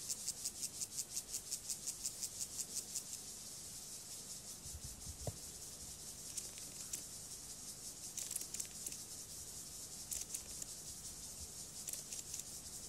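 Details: Courtship stridulation of a male Siberian grasshopper (Gomphocerus sibiricus) wooing a female: regular high, scratchy pulses at first, breaking into looser, irregular rasps and a few faint knocks later.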